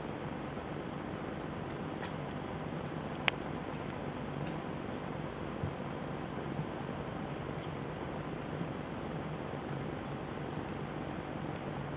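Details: Steady low indoor hum with a few faint clicks and ticks, and no animal voice. One sharp click stands out near the start.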